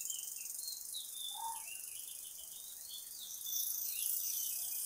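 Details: Crickets in a village on a misty dawn, a continuous high shrill trill, while scattered short whistled bird chirps flit in and out at a lower pitch.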